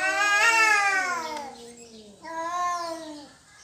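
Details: Cat fighting over territory, two short descending yowls, the first loud and bright, the second softer and flatter.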